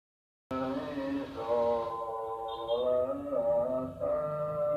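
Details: Cats fighting: a long, drawn-out moaning yowl begins after a half-second pause. It holds a wavering pitch that dips and rises in slow swells, with rich harmonics and no break for over four seconds.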